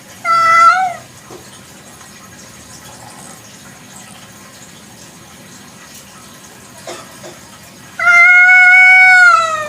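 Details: Village cat meowing at night: a short arched meow at the start, then a long steady drawn-out meow near the end, with quiet clicks and background hiss in the gap.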